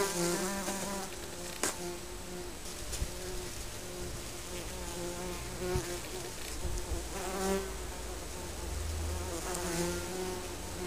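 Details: Honey bees around their colony's home under a garden shed: a steady low hum of many bees with individual droning buzzes rising and falling as they fly past, plus a few sharp knocks.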